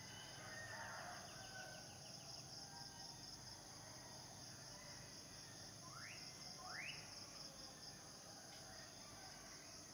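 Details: Male cicadas singing to attract mates make a constant piercing high whine. Two quick rising bird whistles cut through near the end, over a hiss of outdoor ambience.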